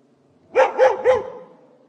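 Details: Guard dogs barking, three sharp, evenly spaced barks roughly a quarter second apart, each with a rising-falling tone, over a quiet background.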